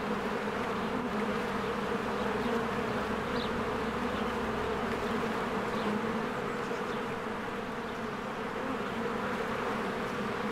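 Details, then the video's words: A steady mass drone from honeybees crowding in and out of their hive on a spring day, a rich humming buzz without pause, dotted with a few faint, short bird notes. "1 Hour of a Beehive ASMR"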